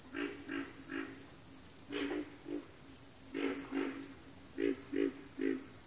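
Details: Low, gruff frog croaks come in bursts of two to four, pausing briefly between groups, while a steady shrill whine hangs high above throughout.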